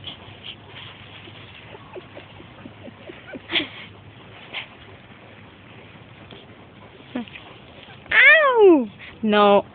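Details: A female blue-nose Pit Bull puppy gives high, falling whines and a short yelp as a person talks; she still makes this noise at about 2 years old.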